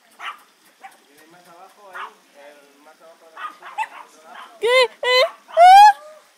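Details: Playing 55-day-old Old English Sheepdog puppies, Litter Q. Soft scattered murmurs and grumbles lead into three loud, drawn-out yelping howls near the end, each sliding upward and rich in overtones.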